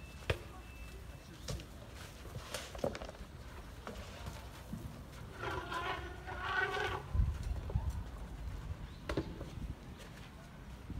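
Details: Young elephants Zuli and Mkhaya, almost three years old, trumpeting in excitement while playing in water at San Diego Zoo Safari Park, 7/5/2021; one harsh, harmonic blast about a second and a half long midway, with background voices and splashing.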